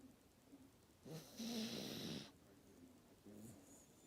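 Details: Sleeping Maltese, very tired, gives one long raspy snore lasting about a second, framed by quieter low whistling breaths before and after.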